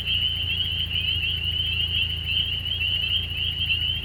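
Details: In spring, a steady, high, shrill trilling of frogs runs unbroken, with a faint low hum beneath.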